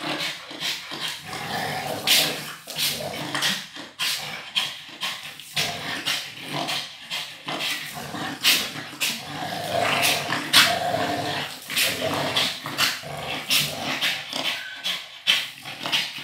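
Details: Two dogs, an American pitbull and a Staffordshire bull terrier, playing tug of war: rough, rasping growls in uneven pulses through the whole stretch, with sharp scuffling and clattering noises between them.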